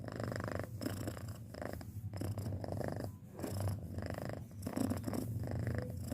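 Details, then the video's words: Deep, heavy purring from a pet cat aged six months, a dense low rumble throbbing continuously with regular breath cycles and soft hiss above. "Suara Kucing Mendengkur"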